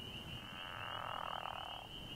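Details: A pickerel frog (Lithobates palustris) at a vernal pool at the peak of amphibian breeding season, around 5:30 on a foggy, nearly 70-degree day after rain, gives a low, rattling snore like a growling stomach over a steady high trill.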